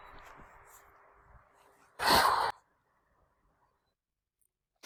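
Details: Female domestic cat Gray White, chased by another cat, stops, crouches low and hisses to warn him to stop: one sharp, loud burst of breathy noise lasting half a second, after faint indoor murmuring, then quiet.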